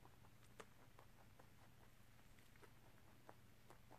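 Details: Pet rabbit Tosil crunching corn and rice snacks indoors, a favourite treat kept to small portions; faint, crisp crunching clicks come several times a second over a steady low room hum.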